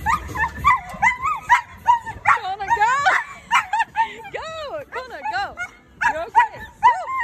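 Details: Pet dog, possibly the one addressed as Jasper, giving a long run of harmonic whining howls and yips, each arching up and down, in quick uneven succession, with background music, laughter and voices cheering it on.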